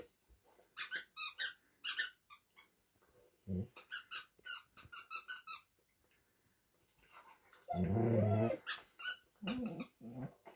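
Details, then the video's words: Two dogs, a Vizsla and a Doberman, playing over a new toy inside; rapid squeaky toy noises in bursts, then a loud harsh growling rumble, followed by shorter growls. "Vizsla vs Doberman - gimme your toy!"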